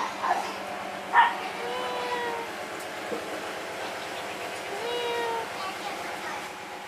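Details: Kittens resting under a wooden hole let out soft, thin mews, a couple of sharper squeaks at the start followed by fainter sliding cries, over a steady background hum.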